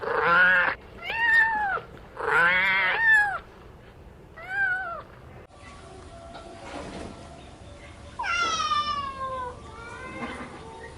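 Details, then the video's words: Playing kittens on green grass call in quick succession, four bright, bending meows in the first seconds, then a quieter, noisier stretch broken by one long descending mew. "Playing Joyfully on the Green Grass - Relaxing Cat Sounds"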